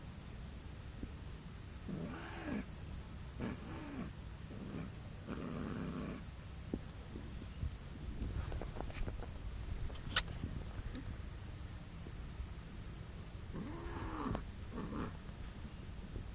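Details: A cat gives low, drawn-out moaning calls in separate bursts, each arching briefly in pitch, with quiet pauses between them over a steady low background hum.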